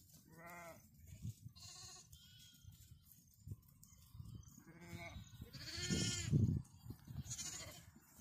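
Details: A lamb calls to its mother with a series of short, quavering bleats at varying pitch, some higher and some lower, spread over eight seconds over a background of low shuffling noise.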